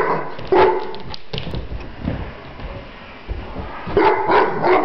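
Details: English Mastiff, one year old, eager to play, lets out scattered low, gruff barks with quieter gaps, then a quick burst of several barks near the end.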